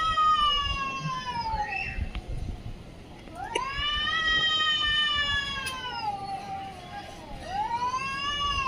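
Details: Cat giving long drawn-out meows, three in a row, each sliding up then slowly falling with a clear harmonic tone and lasting about two to three seconds, over steady low background rumble.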